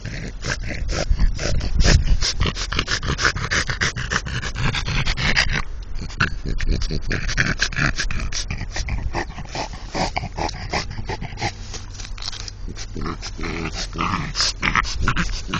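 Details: A French Bulldog, said to be in love with a brick, snorts and huffs in quick, noisy bursts, several each second.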